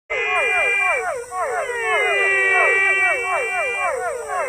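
A frog gives rapid, nasal, swooping notes that overlap in quick succession over a steady high hiss.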